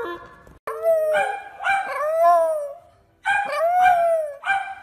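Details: Dog howls: several wavering, arching howls in two bursts separated by a short pause, with clicky, noisy onsets and a possible voice mixed in among the calls.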